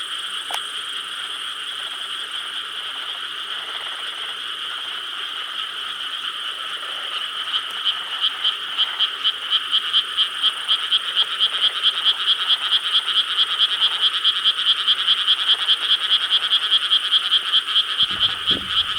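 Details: Frogs croaking in Korean rice paddies on a July 2013 night: a softer, hazy chorus that swells after several seconds into strong, rapid pulsed croaking, ending with a low bump.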